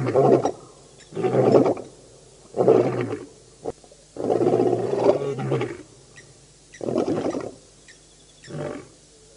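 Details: At a dam in Djuma Game Reserve, Sabi Sand, South Africa, the Birmingham Boys lions roar in August 2016; a run of shorter, rougher grunting roars, about seven pulses spaced one to two seconds apart, tailing off.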